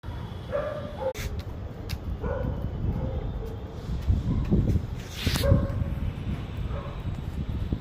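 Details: Tibetan Mastiff barking, several deep, resonant barks spaced a second or two apart, over a steady low engine-like rumble.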